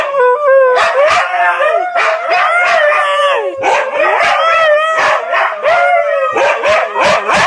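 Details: Three Siberian Huskies howling together, wavering notes sliding up and down, with short yelping barks and yaps breaking in.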